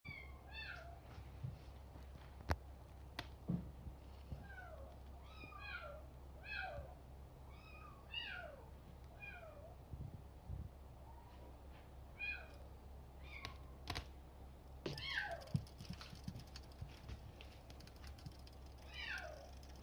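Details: Male Bengal kitten born June 21, indoors at a breeder's home. Thin, high mews that slide downward, repeated rapidly in quick bursts throughout, some overlapping, over a steady low hum.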